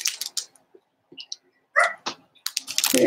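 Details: Four-week-old Cavalier King Charles Spaniel puppies from Daisy's litter in their puppy pen give a short, harmonic, rising yelp amid scattered clicks, scratching and rustling.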